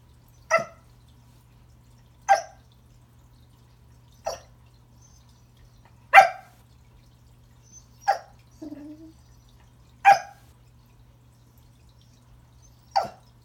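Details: Remington, a Pembroke Welsh Corgi indoors at Christmas, trying to greet a new toy under the tree: sharp single barks spaced about every two seconds, seven in all, with a short low whine between two of them in a quiet room.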